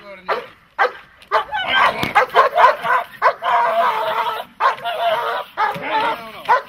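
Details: Dog in protection training, a German Shepherd or Malinois, barking in a rapid burst of harsh, loud barks that run together, with a person's voice heard between the barks.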